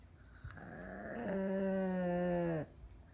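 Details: Elderly pug needing care, sound asleep with its eyes wide open, gives one long droning snore: a steady low nasal hum held for over a second, rising in loudness, then cut off abruptly.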